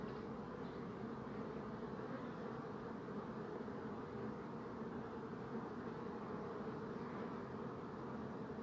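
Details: Continuous hum of numerous bees, a thick low droning buzz that holds steady throughout without breaks or other distinct noises.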